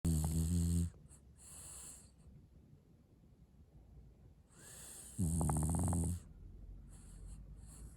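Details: French bulldog snoring: two loud rasping snores, each about a second long with a deep buzzing rumble and strong hiss, separated by several seconds of quiet breathing.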